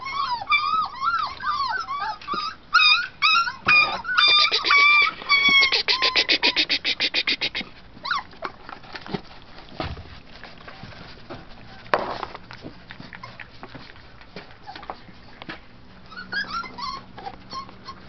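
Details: Young Treeing Tennessee Brindle pups, four weeks old, treeing on a food bowl; squealing arched yelps open the recording, then a buzzy drawn-out whine, followed by quieter knocks and scattered handling noises with a few final faint squeals.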